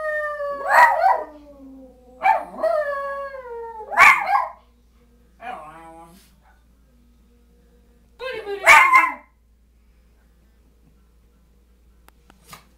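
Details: Schipperke and hound pets join their owner singing the booty boo song. Four yelping howls with falling tails come in the first half, then a softer wavering note and one last howl before quiet.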